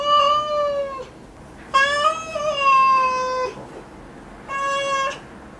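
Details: Cat having its claws clipped gives three loud, sustained meows. The longest is about two seconds, holding level and then sliding gently downward, with strong harmonic overtones and brief quiet gaps between cries.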